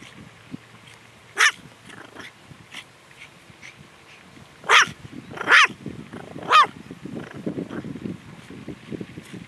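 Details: A long-haired toy Chihuahua kept as a pet, on guard duty at home: four sharp, high yapping barks spaced a second or so apart, with quieter scuffling and small noises between them.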